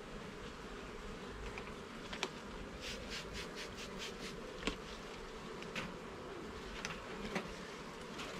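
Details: Honey bee colony droning as a garden hive is inspected frame by frame, the even buzz broken by scattered light taps and clicks roughly every second.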